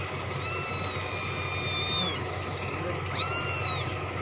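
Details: Young cat drinking milk lets out a long, high, slightly falling meow, then after a pause a second short, rising-then-dropping cry, over a constant low hum.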